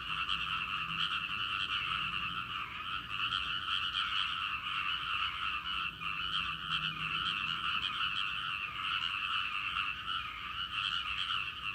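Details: Many frogs calling together from a rice paddy: a steady, unbroken wall of rapid, rattling croaks that holds an even loudness throughout, with no other clear sounds.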